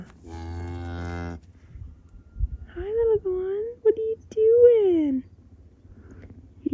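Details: Family milk cow on a ranch, shortly after giving birth to a heifer calf, the first calf born there. A deep, steady moo lasts about a second, then higher, bending, wavering calls follow in several drawn-out bursts.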